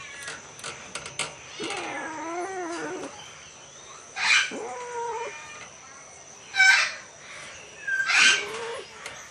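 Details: Asian leopard cat mating and hybridizing with a Bengal cat; drawn-out wavering, moaning yowls rising and falling in pitch, three or four separate cries, with sharp hissing bursts between them and a faint steady high whine throughout.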